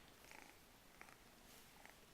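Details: RagaMuffin kitten, 13 weeks old, from a litter, purring indoors: a soft, steady, hissing purr under a faint broadband rush, with a few light clicks.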